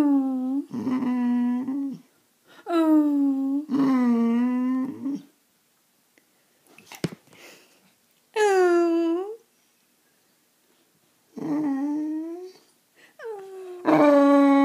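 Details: A male Boxer named Riley asks for attention with long tonal moans, each held for about a second and a half and falling at the end, separated by quiet gaps and a faint rustle midway.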